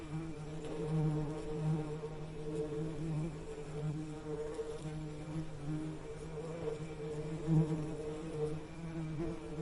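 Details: Steady humming buzz of a bee, a low fundamental with bright overtones held throughout, loudness rising and falling as it nears and moves away.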